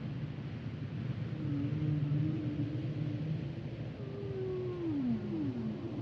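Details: Humpback whale song: a wavering low moan followed by descending glides, the last sweeping down twice, against a heavy low-pitched rumble of underwater noise.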